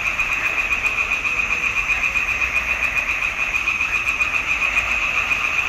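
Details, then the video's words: A June 2021 swamp pond chorus of frogs: a steady, rhythmic high trill of quick pulses, about three or four per second, sustained throughout over a softer background of other croaking frogs. "Il canto delle rane in palude"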